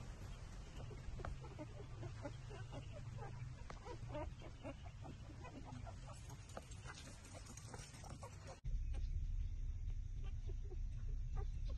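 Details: Newborn puppies, six days old, nursing on their mother's teats: rapid, irregular sucking clicks and brief squeaky whimpers repeat for about eight seconds, then a louder low rumble takes over.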